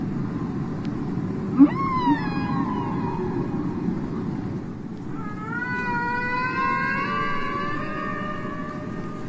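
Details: Humpback whale song recorded off Bermuda in the 1960s and released on a record: long, wavering moaning tones, likened to a child crying, that rise and slowly bend over a low rumbling hiss.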